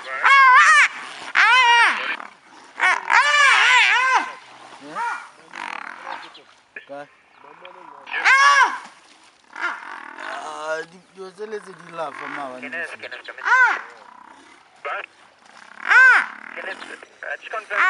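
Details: Brown hyenas fighting at Tau Game Lodge, Madikwe, after one wandered into the wrong territory: loud, harmonic, arching squeals and yelps in bursts, some strained and grating, separated by short pauses, with people talking quietly between outbursts.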